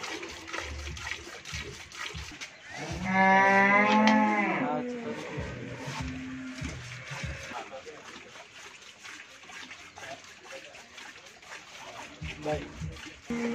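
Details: At a dairy farm in Pabna, Bangladesh, a Friesian cow that has calved once gives a loud, bright, drawn-out moo lasting nearly two seconds. It trails into lower grunts, with quiet farm noise and short lows near the end.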